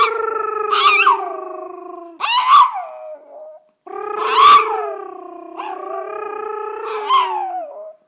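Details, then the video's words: Yorkshire Terrier singing along after its owner: drawn-out harmonic howls in several phrases, some with brief rising, wavering upper notes, separated by short pauses. "Singing Yorkie"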